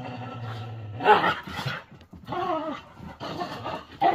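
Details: Whippets play fighting give a low steady growl, then harsh snarling bursts and a higher whining snarl, loud and close in a small room.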